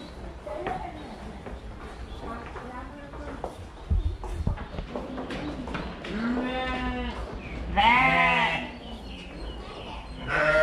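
Sheep give wavering, nasal bleats, with the loudest around the middle and end.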